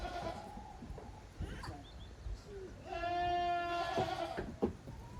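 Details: Goat kids playing boisterously in the exercise yard at Yoshigake farm, 30 April 2023: after a stretch of scuffling and soft thumps, one loud, sustained, quavering bleat rings out near the end, then knocks and footfalls.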